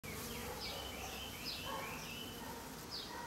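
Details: Bees at a nest in a hollow tree, making a dense, continuous broad buzzing hum with overlapping rising and falling tones as individuals fly close by.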